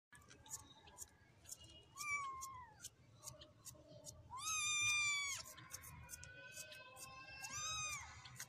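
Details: Persian kittens mewing: thin high meows that rise and fall, a few drawn out, several overlapping, over a busy background with ticking clicks and a low hum.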